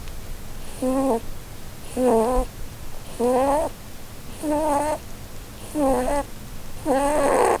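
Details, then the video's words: Female Holland Lop rabbit asleep and dreaming indoors under a Christmas tree, snoring: six squeaky, whistled wavering tones about every 1.2 seconds, each paired with a soft airy breath hiss, evenly paced. "Snoring Bunny Compilation"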